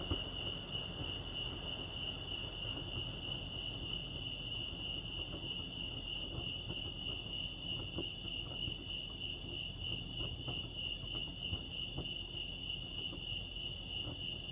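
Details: Crickets chirp at Lake Arrowhead, California, producing a long, steady, high-pitched pulsing trill with slight rhythmic wavering, set against a quiet low background hum.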